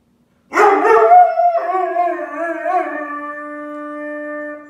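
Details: Charlie, a Weimaraner, cries in a long, wavering whine that slides down into a steady howl after his Great Dane sister is taken on a walk without him.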